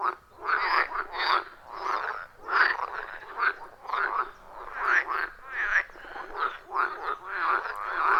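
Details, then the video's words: Frogs calling in a loud chorus around a wild forest pond, recorded with an iPhone 14 Pro and Shure MV88+: rhythmic, pulsed croaks bursting roughly twice a second, overlapping callers forming a steady rasping pulse, no music or talking. "30 Minutes of Frog Sounds at a Forest Pond"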